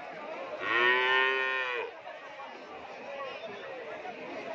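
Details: Crossbred Madura (Madrasin) cattle checked for sale price: one clear, rich-toned moo of about one second, slightly rising then holding, followed by several seconds of low crowd murmur and background noise.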